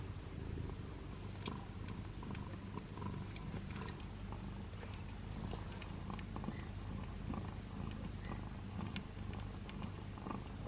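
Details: A tiny ginger male kitten, born last in his litter, purrs steadily, a low continuous rumble like a tiny motor.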